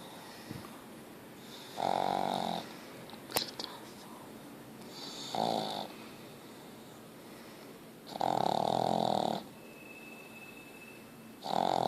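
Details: Ozzy the pug snoring at full strength: four rasping, buzzing snores of uneven length come every few seconds, with a sharp click early on and a faint steady tone late in the recording.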